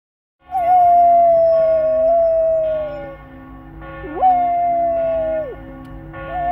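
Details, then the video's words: Flat-coated retriever howling at church bells: two long sustained howls, steady then slowly falling in pitch, the second starting with a sharp upward swoop, over a background of ringing bell tones with repeated strikes. "Flat Coated Retriever FCR dog howling at church bells"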